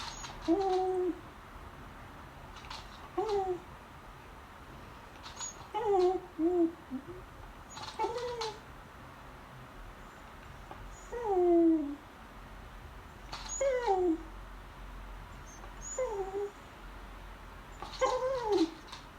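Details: A female beagle begs at the lunch table while staring at her owners, making short, falling, whiny yelps repeated every couple of seconds.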